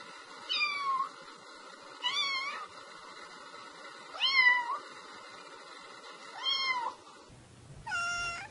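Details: Domestic cat repeating clear meows roughly every one and a half to two seconds. Each is a short rising-falling cry with rich overtones. A brief, different, flatter cry ends the sequence.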